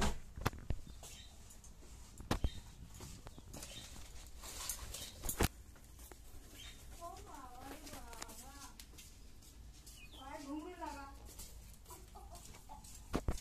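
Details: Baby guinea pig at morning breakfast, giving two bursts of short, stacked, chirping squeaks, a few in quick succession midway and a denser run later, over soft rustling, sharp clicks and handling noises.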